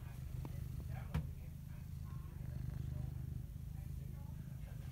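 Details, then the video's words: Deep, even purring from a cat pulses without pause for the full five seconds, with one sharp knock near the second mark. "Purr Cam"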